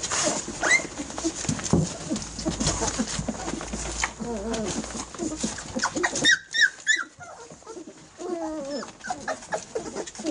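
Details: Eighteen-day-old Airedale Terrier puppies of the E2 litter crowd their mother Lisa for milk, giving high, squeaky whimpers that rise and fall in short overlapping bursts amid rustling and shuffling bodies.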